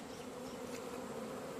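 Honey bees give a steady, low droning hum that holds one even pitch throughout.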